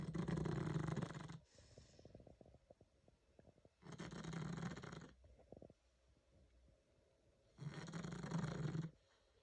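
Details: Nearly 11-year-old female pug asleep, giving three loud, deep, rasping snores about four seconds apart, each lasting over a second, separated by quieter crackling breaths.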